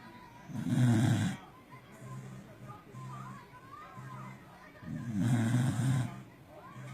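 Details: Sleeping corgi snoring very loudly: two long, deep, rasping snores about four seconds apart, each lasting around a second, with soft music playing between them.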